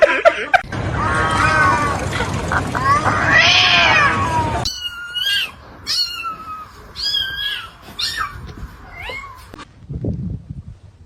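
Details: Domestic cat indoors giving a run of short meows, each bending down in pitch, roughly two per second, after a dense, noisy opening passage of mixed voices and sound; low background hum throughout.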